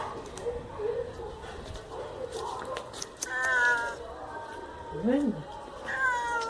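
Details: A whiny grey domestic cat, probably hungry and thirsty, meowing indoors near its food: several drawn-out, arching meows, rising then falling in pitch, with strong harmonic overtones, mixed with a woman talking to it.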